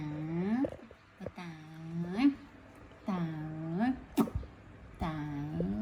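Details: Pet monkey Toro asking its mother for milk before going to bed: four drawn-out, moaning, tonal calls about every one and a half seconds, each holding steady and then sweeping upward at the end, with brief clicks between.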